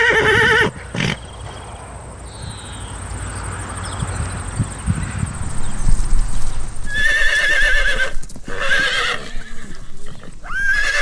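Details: Horse whinnying briefly at the start, then a long stretch of low noise and rumbling, and quavering neighs returning after about seven seconds, with a steady high hiss throughout.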